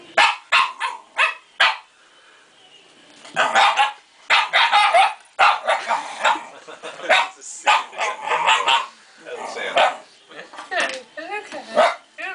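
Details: Shiba Inu dog barking at a plastic bear head as he approaches it, short sharp barks in irregular bursts, mixed with a person's coaxing, reassuring speech.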